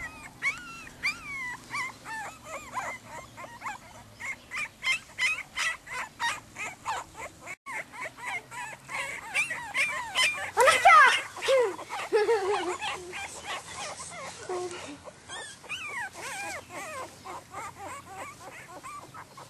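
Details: Croatian Sheepdog puppies whining and yelping in rapid, repeated high-pitched bursts, several pups calling over one another with a brief louder squealing cluster midway.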